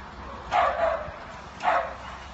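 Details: Excited yelps from a deerhound/greyhound x whippet cross racing after a lure at a local flapping track, extended four-bend run: two short, ringing barks about a second apart against low background noise.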